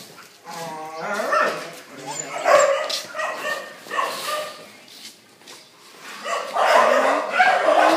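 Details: Phu Quoc Ridgeback at Quý Khuyển giving a run of short, harsh barks in irregular bursts, the loudest coming near the end, with human voices mixed in between.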